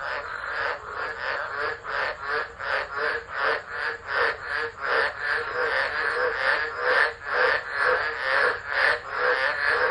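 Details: Frogs singing during a tropical low at Driver, Northern Territory, Australia, 13 December 2013, phone-recorded; loud, dense chorus of rasping croaks pulsing steadily about twice per second, several callers overlapping throughout.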